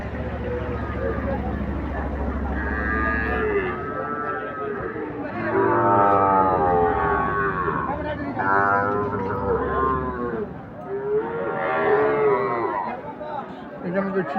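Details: Several drawn-out, wavering moos from Sahiwal bull calves at the busy Ambari market, rising and falling in pitch, heard three or four times over constant human talk, haggling and occasional background music.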